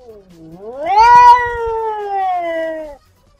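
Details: Domestic cats in a vocal fight: one long drawn-out yowl, rising steeply then holding a strained, harmonic-rich wail for about two seconds before fading out.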